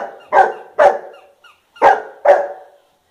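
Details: Pet golden retriever Bubbles barks at a Hamleys toy, four loud, abrupt barks in two close pairs separated by a brief pause, each with a sharp attack and short fading tail, little else audible.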